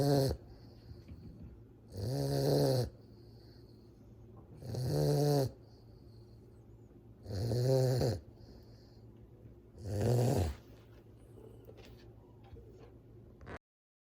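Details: Two-month-old fawn Cane Corso puppy asleep, producing loud, regular snores: each a rough, buzzing rumble lasting under a second, repeated about every two and a half seconds, five in a row, with quiet between.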